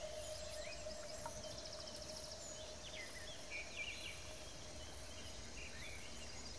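Bush crickets give high, rhythmic buzzy pulses over a steady hum, with faint bird chirps.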